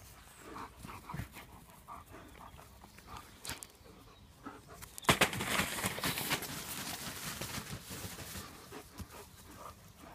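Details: German Shepherds having fun at play, one panting: breathy, noisy huffs repeated roughly twice a second, quieter at first, then a louder, denser stretch of rapid breaths from about five seconds on.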